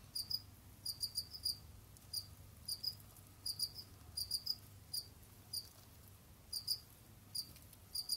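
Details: Captive Jamaican field crickets (Gryllus assimilis) kept as pets, roaming, digging and hunting other insects; high, bright chirps in short bursts of two to four pulses, scattered irregularly through the clip over a faint low hum.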